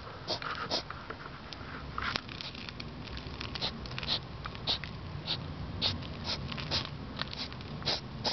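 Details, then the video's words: Outdoors at 10pm on 3 September 2009, a European hedgehog snuffles loudly enough to be heard indoors; steady stream of hissing, pig-like sniffs and snorts, several per second, throughout. "Hedgehog sniffing like a pig / Igel schnieft wie ein Schwein"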